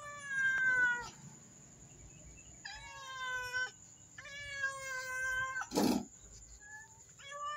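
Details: A black mother cat and kitten meow insistently for food, several drawn-out harmonic meows spaced a second or two apart, one bright falling call first, with a brief thump midway and a constant high background whine.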